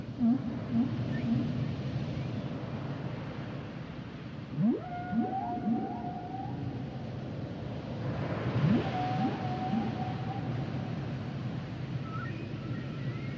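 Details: Humpback whale song: steep upsweeping calls leading into long, level tonal wails, a few higher whistled notes near the end, and low grunts at the start, all over a constant deep ocean rumble.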